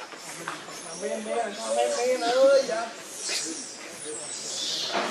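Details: Hungry baby monkey called Leo cries to his mother for milk, giving wavering, drawn-out whimpers that swell in the middle and fade, against a hissy outdoor background.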